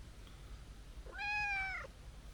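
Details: Chubby, sturdily built tabby stray cat with a young, kitten-like voice gives a single clear meow lasting about two-thirds of a second, a steady harmonic-rich tone ending in a slight downward bend, over faint low background rumble.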